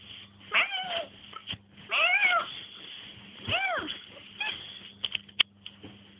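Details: Siberian cat talking with a girl at bedtime indoors: four drawn-out, arching meows rising then falling, roughly one every one to two seconds, followed by short clicks, over a low constant room hum.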